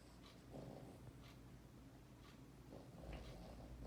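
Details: Napping dog snoring softly indoors, low rumbling breaths in slow cycles, each inhale a faint raspy rasp with breathy hiss between, quiet room background.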